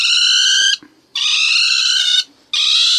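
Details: A ferret-badger gives three loud, harsh, rasping screeches, each lasting up to a second, with short silent gaps between them, described as a distress cry.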